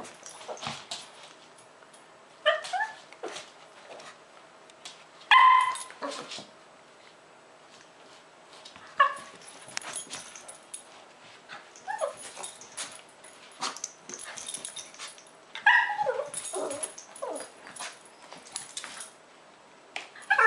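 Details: A pair of Lhasa Apso dogs play fighting, giving bursts of shrill yips, whines and squeaky yelps in irregular clusters separated by short quiet gaps, with scuffling noises between calls.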